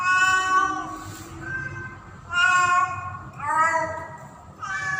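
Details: Domestic cat Pretty, a female in heat, calling a tom in the mating season, going in and out as she calls: a series of loud, strained, wavering meows, rising and falling, three to four in five seconds, with a faint low rumble beneath.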